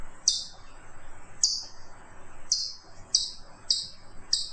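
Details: Chipmunk making six piercing, high chips at uneven spacing, slower at first and then quicker, each a brief descending note over light hiss.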